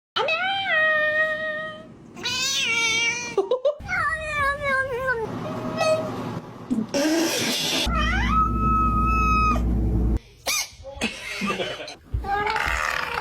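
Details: Domestic cats voicing a run of meows: drawn-out harmonic cries that waver, rise and fall, several in quick succession from different cats, broken by a loud noisy burst, with human voices and snatches of music around them.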